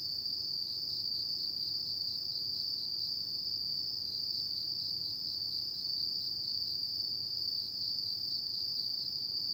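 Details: High, unwavering trilling of many autumn insects on a night, the sound a seamless buzzy ring with subtle rhythmic beating, steady volume, nothing else audible over it.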